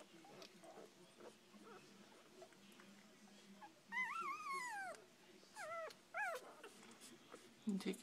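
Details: Puppies six days old, from a rescued mother: one long, bending whine that falls slowly, then several shorter arched squeals that rise and drop, with a soft murmur of other pups beneath.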